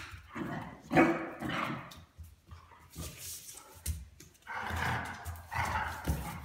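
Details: Young Weimaraner puppy teasing and annoying a very patient adult Weimaraner; continuous rough growling, yelping and huffing during boisterous play, with bursts of louder harsh barks and scrabbling noise throughout.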